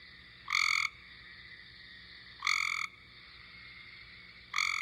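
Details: Cope's gray tree frog calling in a playback shared April 10, 2020, to contrast with the eastern gray tree frog: three abrupt, coarse buzzy trills, each about a third of a second, spaced around two seconds apart, nothing else audible.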